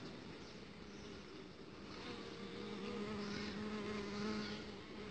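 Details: A steady, low droning buzz of uruçu stingless bees around a princess (young queen) being fertilised outside the hive box, swelling and growing more tonal partway through.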